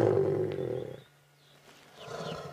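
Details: Adult male lion, the Birmingham Boy of a four-male coalition, roaring while lying beside a safari vehicle on a sunset drive, 8 August 2016: a deep, rumbling roar fading out after a second, then soft human voices.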